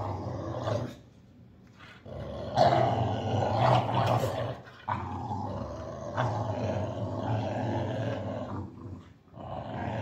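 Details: During a tug-of-war game, a Boxer dog growls in deep, gravelly bursts that swell and fade, with a quieter stretch near the start and short breaks between rumbles.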